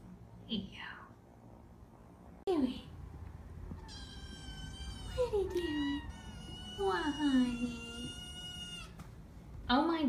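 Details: Nine-week-old foster kittens from a stray mother's litter, indoors in a foster room, give loud, high meows that slide downward, several in a row with rich overtones, while a woman talks to them.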